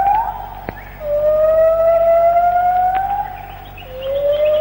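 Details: White-handed gibbon morning song in the Malaysian rainforest, recorded in the late 1950s to early 1960s: long, pure, slowly rising whoops that swell and fade, each held a few seconds, over faint forest hiss with a couple of clicks.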